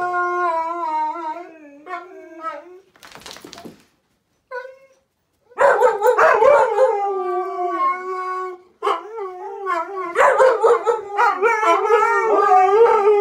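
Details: Group of husky and husky-mix dogs howling together: a sustained falling howl, short broken yips and a brief gap, then loud overlapping wavering howls from several dogs in chorus.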